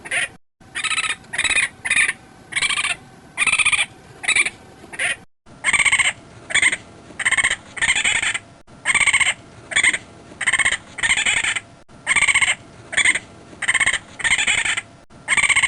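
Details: Raccoon chittering steadily, about twenty short, raspy bursts of half a second or less repeated at a fairly even pace, over a constant noisy background hiss with a few abrupt cuts.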